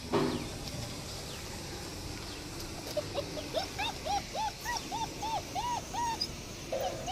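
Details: German Shepherd puppies whimpering: after a brief clatter, a quick series of about eight short, arched whining notes rising and falling, each under half a second, over steady low background noise.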